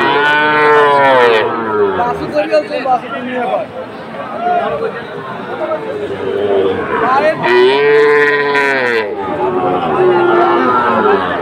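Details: Sahiwal calf at a Chattogram cattle market in Bangladesh, giving two long, rising-then-falling moos at the start and again near the end, with people talking in between.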